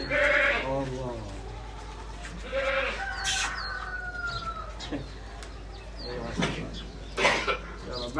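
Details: Awaridi goats bleating in short harmonic bursts at the start and again near two and a half seconds, mixed with a man talking throughout and some background clatter.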